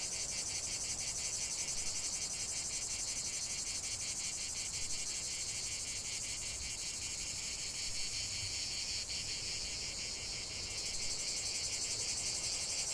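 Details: Continuous cicada song, a piercing high buzz pulsing quickly and regularly, the chorus slightly changing texture late on while staying unbroken.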